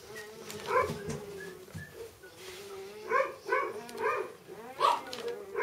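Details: Labrador Retriever puppies, a sibling litter, giving short harmonic whines and yelps in scattered bursts, several in quick succession near the end, with faint rustling and a soft background hum between calls.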